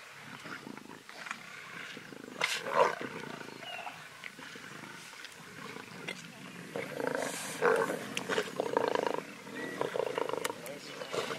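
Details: Wild lion pride feeding on a zebra in Greater Kruger National Park, South Africa, during the 2018 dry season: harsh, rasping growls and snarling bursts that swell louder toward the end, with people talking quietly nearby.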